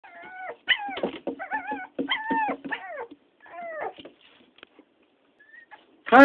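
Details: Toy poodle giving a run of high, wavering whines and yips in quick succession, each bending up and down, then a pause with small squeaks and a sudden loud yelp at the end.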